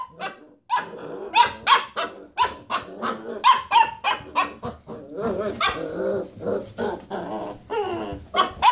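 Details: Several Basset Hound puppies playing around a computer chair, rooing: quick runs of short, bright yelping barks with ringing overtones, about three per second, broken by low growly mutters and a rougher scuffling stretch midway.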